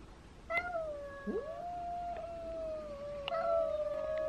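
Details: Domestic cat meowing indoors: one long, drawn-out, steady tonal meow held for nearly three seconds, then a second meow starting abruptly and sliding slightly downward, with faint background noise.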